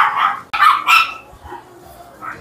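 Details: Dogs at a busy, noisy dog café in Cheongdam, Korea: sharp barks cluster in the first second, then fade into softer yips and café chatter with people talking nearby.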